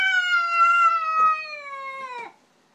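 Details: House cat, unwelcoming toward an unfamiliar cat come to visit, lets out a sustained tonal yowl of over two seconds, slowly sliding downward in pitch before cutting off, with faint soft clicks beneath; quiet room.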